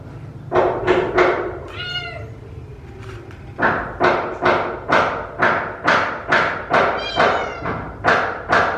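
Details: Rescued kittens meowing loudly while eating, a noisy chorus of short harmonic mews repeated about twice a second, several overlapping, with a few longer wavering calls and soft thumps between them.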